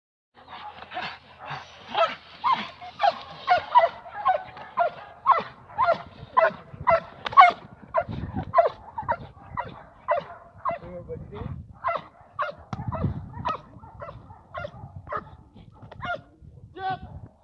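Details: Nadja de la Arena, a Perro de Presa Canario in protection dog training with a decoy, gives loud repeated barks roughly two per second throughout, some sharper and higher, with a few low thuds beneath.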